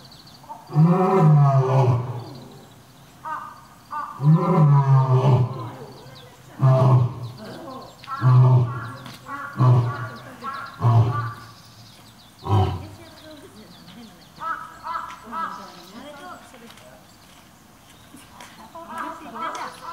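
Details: Lion Earth at Nonhoi Park, Toyohashi Zoo, which pulls a flehmen face after smelling the scent of the lion Silk; a series of deep, grunting roars in rapid bursts for about twelve seconds, then softer, quieter grunts trailing off.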